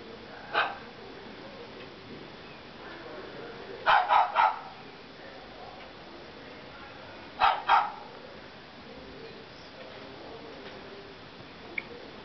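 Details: A pug gives short, sharp barks, singly and in quick bursts of two or three, while lazily sitting down.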